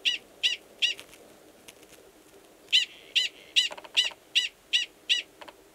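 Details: Mating call of a male Gunnison's prairie dog in New Mexico's Valles Caldera National Preserve, March, given before he goes below ground to an estrous female; shrill chirps in quick series, two bursts, with faint clicking sounds between notes.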